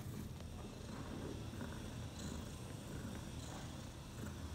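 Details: Purring from Bella, a pet mother cat nursing her four newborn kittens six hours after their birth; a continuous low vibrating rumble with faint rustles over it.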